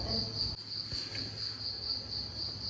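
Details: A cricket trills steadily indoors at home, a continuous high, pulsing buzz heard over faint low household rumble while someone talks in the kitchen.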